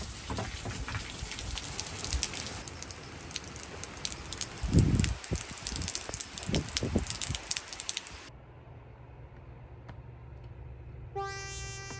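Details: Typhoon wind and rain roar with dense crackling and thumps for about eight seconds, then a low steady hum, ending with a brief tonal chime.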